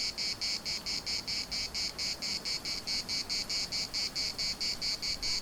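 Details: Cicadas in chorus at the municipal park in Larnaca: a shrill, buzzy, high-pitched pulsing, about four or five even pulses a second, steady and unbroken throughout, over a faint low background hiss.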